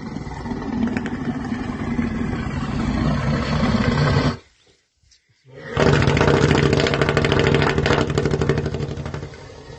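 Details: An elephant snores while sleeping, with deep, rumbling, rattling breaths, broken by a brief silent pause.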